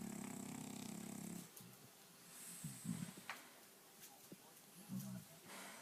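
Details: Louie the French bulldog snoring in his sleep; a steady rattling rumble for over a second, then several short, softer snorts scattered through the rest.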